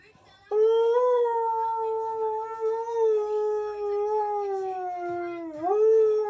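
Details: Young husky puppy howling while reacting to its owner's attempt to howl: one long, steady, tonal howl holding a level pitch for about five seconds, dipping briefly near the end, then rising back.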